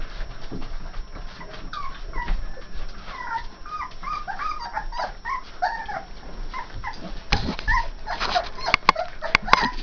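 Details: Litter of AKC Saint Bernard puppies, three and a half weeks old, from Gypsy and Adam, giving many short high whimpers and yips that bend up and down, overlapping in a busy chorus, with a few sharp clicks near the end.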